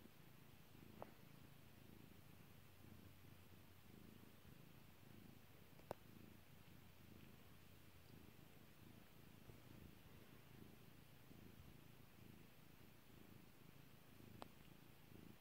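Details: Kairi, a pet cat, purrs continuously as she is stroked; the low rhythmic rumble holds steady throughout, broken by a few sharp popping clicks near the start, middle and end.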